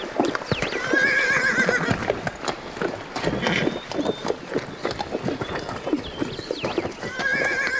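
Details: Horses, described as calm, playful or excited and alert: a busy, noisy scene of overlapping stamping hooves and snorts, with wavering high whinnies near the start and end and bird chirps mixed in.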